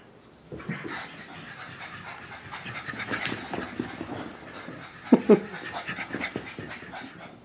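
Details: Molly and Kira, two French Bulldogs running around, pant and snort in quick irregular bursts, with a couple of sharp louder snorts near the end and thumping movement noises.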